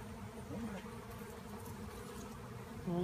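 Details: Honeybees swarming in the air after being removed from a tree, the hive left nearly empty; a thick, constant hum of many wings, steady then swelling slightly at the close as a voice begins.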